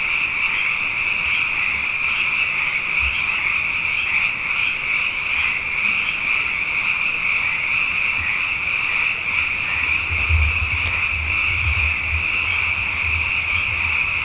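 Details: Frogs in large numbers after two wet years fill the night with an unbroken shrill trilling chorus, while deeper intermittent croaks surface in the background, clustering toward the end.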